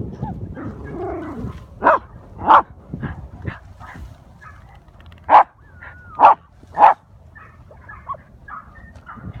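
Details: Patterdale terrier pack hunting an armadillo in a hole, a 10-week-old puppy on its first hunt among older terriers aged 5 and 10 months: a man's voice early on, then scattered sharp barks, a pair near two seconds and three close together later, over rustling.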